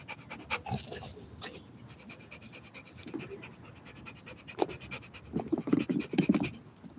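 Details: Rottweiler panting during play, softer uneven breaths mixed with scuffling, a few sharp bursts near the start and louder rustling and movement noise toward the end.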